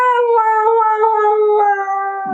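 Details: Husky dog at home giving a long, steady, tonal howl that holds a clear, slightly falling pitch for over two seconds, with rich harmonics and a small break in tone near the end.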